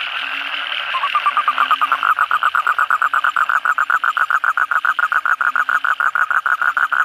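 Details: After heavy night rain, one toad-like call rises out of a background frog chorus: a loud, fast pulsed trill of evenly spaced notes, about six per second, sustained for several seconds, joined by kodok bangkong chorus behind.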